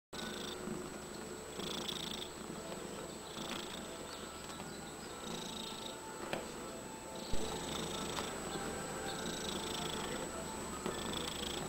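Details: A domestic cat kneading and purring: a steady low rumbling purr running throughout, with soft rhythmic rustling pulses from the kneading repeating about every second.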